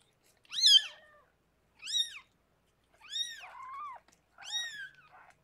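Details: Indoors with rescued pregnant cat Harlequin as she gives birth to six kittens, four sharp arched mews, two of them trailing into lower wavering tails, spaced about a second apart.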